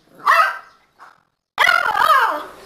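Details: A 50-day-old Beagle puppy, barking for the first time, gives a short, high yappy bark, then a longer wavering yelp.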